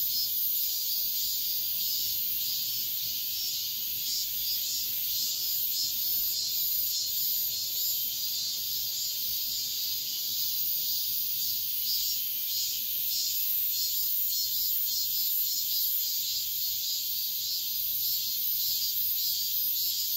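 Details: Midsummer dawn chorus of cicadas, an unbroken high shrill drone with soft rhythmic swells roughly every half second to second, holding constant for the whole stretch.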